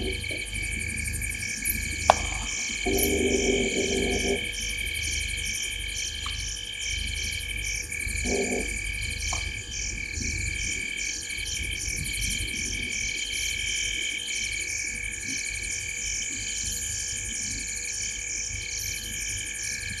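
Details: Frogs sitting in a tree at the corner of Gowrie dam, a waterhole on Djuma Game Reserve, Sabi Sand Wildtuin, South Africa, at 19:33 on 05/07/2023. A dense, steady high chorus of rapid pulsed notes, with a brief lower croaking burst early on.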